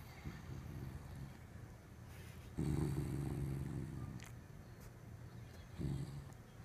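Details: A corgi guarding something with its face scrunched up gives a low, rumbling growl that swells suddenly near the middle and again near the end, with quieter grumbling between.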